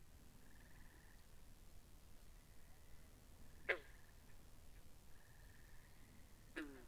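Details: Binaural recording of frogs by a pond, with two sharp twanging croaks about three seconds apart, each sliding downward, among intermittent quieter buzzy trills.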